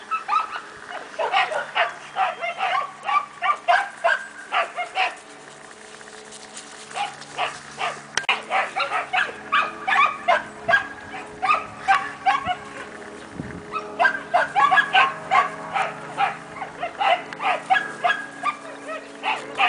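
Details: Two 4-month-old Siberian Husky puppies, Cassia and Disco, at play time in their kennel: bursts of short, bright yips and barks come in rapid runs, with a brief lull near six seconds and another around twelve seconds.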